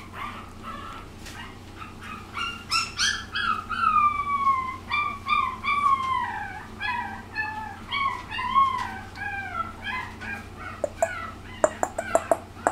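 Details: Young female puppy of Lilo's litter, just past one and a half months old, recorded March 17, gives long drawn-out whining howls that slide downward, repeated in a plaintive series, then short sharp yips near the end over a faint low hum.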